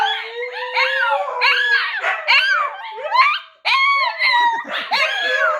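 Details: Pomsky-type husky cross dogs howling together, a seven-month-old pup copying another dog's howl; a steady low howl held underneath while higher voices yelp and slide up and down in quick wavering arcs.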